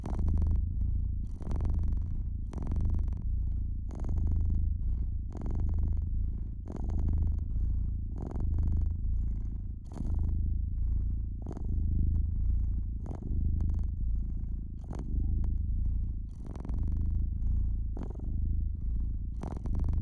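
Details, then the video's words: A domestic cat near a fireplace keeps up a continuous throaty purr that rises and falls in soft breath-paced waves, overlaid by repeated sharp pops and crackling of the fire. "Cozy Fireplace Cat Purring"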